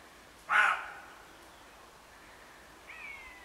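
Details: On a late-July morning at the edge of a wood, a roe deer gives one loud, harsh, hoarse cry, followed by a much fainter sound.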